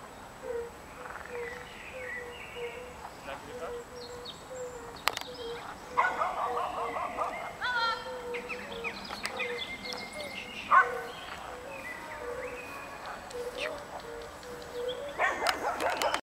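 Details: European fire-bellied toads (Bombina bombina) in Lilli Wenedy park, Kraków, give soft, low, mournful 'oop' notes, repeated steadily about twice a second.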